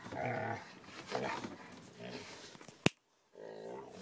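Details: Two eight-month-old puppies, a Rottweiler and a Staffordshire terrier, playfighting and having tantrums while camping; harmonic growling whines in bursts, a sharp clack near the end, then renewed growling, with a person speaking nearby.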